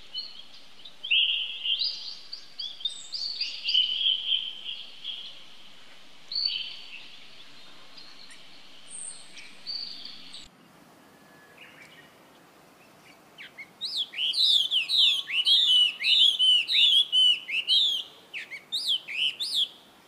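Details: Baby monkey calling for help to its older brother, a young monkey named Rainbow, who runs to it. Thin high squeals and wavering whistles, then a rapid burst of repeated rising-falling shrieks with harmonics, broken by a short quiet gap.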